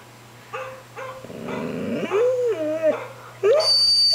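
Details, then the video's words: Ten-month-old puppy Lexie barking at dogs shown on a computer screen; short high yips, then a longer rising and falling whine, with a raspier burst in the middle and a sharp high tone near the end. "Lexie barking at computer dogs"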